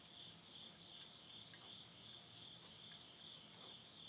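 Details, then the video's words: A continuous shrill insect chorus on a late-summer midnight in rural Tottori, Japan, September 2020, holds a level high-pitched buzz throughout, dotted with soft snaps and pops from a wood fire burning in a stove. "the voice of insects"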